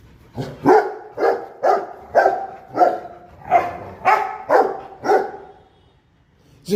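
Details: A pet guard-dog Rottweiler, Simba, barks steadily in deep, gruff bursts about twice a second, alerting when prompted with "who's there, look", words taught to him as a pup.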